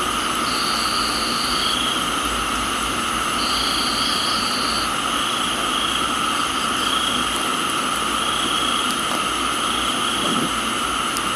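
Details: Crickets in a tropical garden in Thailand during rain: steady, high continuous insect buzzing tones, joined by short level trills lasting about one to one and a half seconds, over a dense hiss of rainfall.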